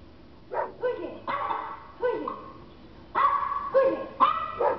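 A German Shepherd gives a series of deep, harsh barks at an uneven pace.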